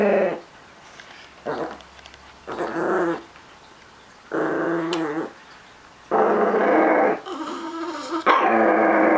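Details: Treat-guarding Chihuahua-Miniature Pinscher mix growling in repeated bursts, some short and low, later ones longer and louder, rising to a harsh sustained snarl at the end.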